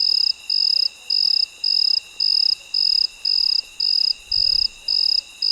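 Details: Night-time cricket at midnight giving regular bursts of piercing, high trilled chirps, roughly two per second, with a thin steady tone underneath and a brief low rumble near the end.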